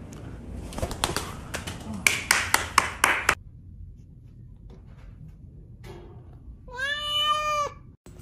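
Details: Little cat giving one drawn-out, steady meow near the end, after a burst of sharp clicks and taps and a quiet pause.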